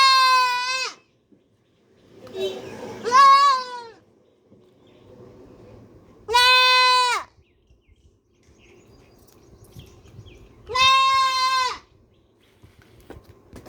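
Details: Baby goat, a black goat, screaming: strong ringing bleats, one near the start, a broken pair of cries around three seconds, then two long steady wails at six and eleven seconds, separated by faint murmuring and soft background rustle.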